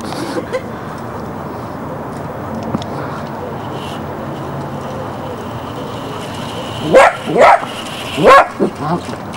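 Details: Jessy the Border Collie puppy, filmed in Barsbüttel by Hamburg in January 1994, lets out a cluster of high, clipped barks near the end, preceded by steady low noise and faint German speech.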